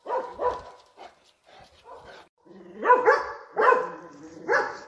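A Dobermann barks in deep, forceful bursts, warning off intruders while guarding its home.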